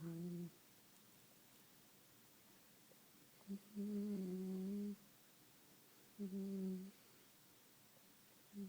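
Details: Staffordshire Bull Terrier puppy snoring in its sleep, steady low hums of under a second to about a second and a half, recurring every two to three seconds over a faint room hush.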